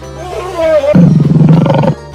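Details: Lion roaring: a short tonal sound first, then about a second of deep, pulsing, grunting roar with rapid throbs before it cuts off, with music in the background.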